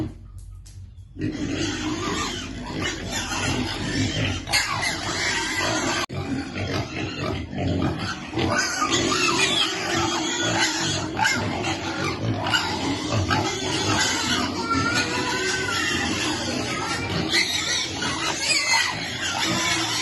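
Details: Hungry baby piglets awaiting their food, squealing and grunting in a crowded, unbroken chorus. Sharp high cries overlap steadily after a brief quiet start.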